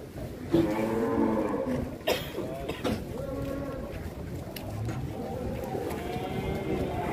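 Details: Cattle at the Grabag market in Indonesia, described as a monster bull raging; long harmonic moos with wavering pitch rise over a busy crowd, with people talking, clatter and traffic noise throughout.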